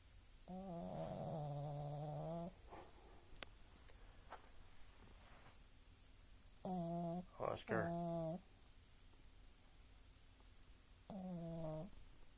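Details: Sleeping pug Oscar snores in three drawn-out, droning nasal breaths of one to two seconds each, spaced several seconds apart; a person calls "Oscar" over the middle snore, with a few soft clicks between.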